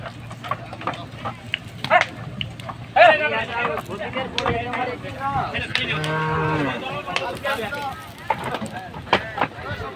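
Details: Cattle being unloaded for Qurbani Eid in Bangladesh; one drawn-out mid-pitched moo near the middle rises over a busy, clattering scene of shouting people, thumps and crowd noise.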